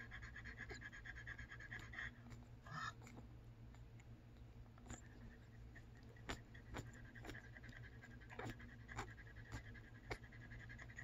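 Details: A merle French Bulldog puppy only hours old gives faint squeaks and quick, soft breaths over a steady low hum.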